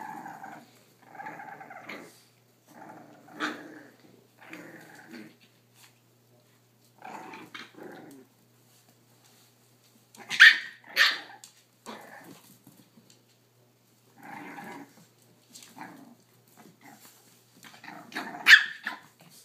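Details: A Boston Terrier father plays with his puppies, a 3-month-old and two 5.5-week-olds. They give soft playful growls, grumbles and occasional sharp yips.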